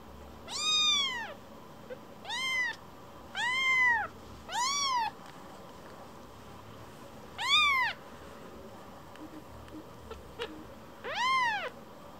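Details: Rescued baby kitten that wanders off after being stroked, then quickly returns to be petted again; six clear, high, arched meows at irregular intervals over twelve seconds, some drawn out, against faint background noise.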